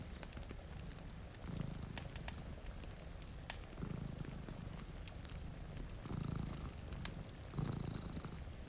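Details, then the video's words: Sleeping cat, one of two resting by a rain-streaked window near a fireplace, purring in deep throbbing waves about every two seconds, mixed with popping fire crackles and a steady rain wash. "Purring Cat"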